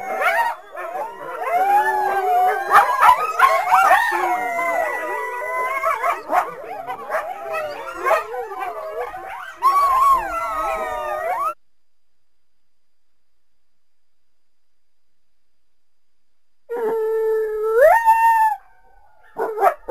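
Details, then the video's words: Coyote calling through the trees toward a backyard on a winter day: a chorus of wavering, sliding howls and yips over about eleven seconds, then silence and a short rising howl near the end. "Coyote Sounds"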